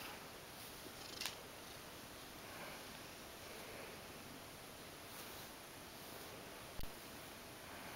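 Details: Mojio, a pet Ragdoll cat, relaxing and rolling belly-up while being brushed indoors: a soft, steady low rumbling purr running continuously, with two brief clicks of handling noise.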